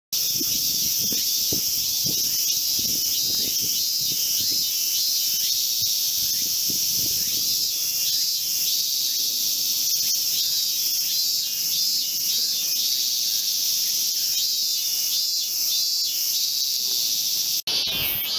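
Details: Min-min cicada singing in the grounds of a temple in Tokyo's 23 wards, recorded in August 2018; a dense, steady high buzzing with faint rhythmic pulsing runs throughout, ending in a brief knock near the end.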